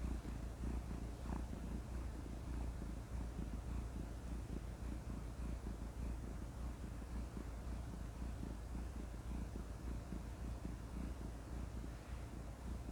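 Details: Domestic cat purring up close: a continuous low, rumbling vibration with a fine, rapid pulsing texture, steady in loudness throughout, with no other sounds.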